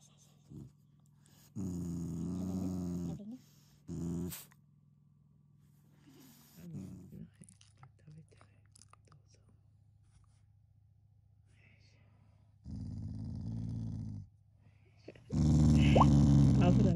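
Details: Shiba Inu growling affectionately, not in anger, while eating treats at home; low rumbling growls in bursts of one to two seconds, a long harsh growl at the end, with a woman talking softly in Japanese between them.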